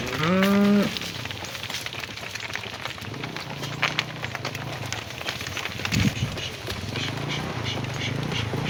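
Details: Cattle heading home to the barn in the afternoon, calling their companions: one loud, steady, harmonic moo at the start, then several fainter, lower, drawn-out moos from farther off amid continual crackling outdoor noise.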